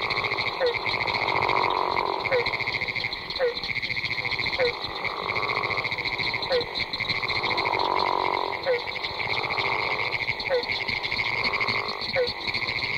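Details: Florida gopher frogs (Rana capito) give deep, snoring calls in chorus with a barking treefrog and a pinewoods treefrog amid other frogs.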